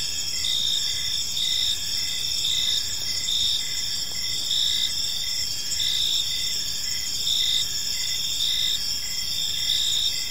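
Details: Crickets chirping on an evening in a park: a dense, steady chorus of high, shrill pulsing trills layered over one another, with brief repeated chirps pulsing under the continuous ringing and faint low background rumble.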